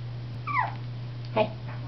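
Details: Young Mal-Shi puppy playing indoors gives a short high falling whine followed by a brief yip, over a steady low electrical hum.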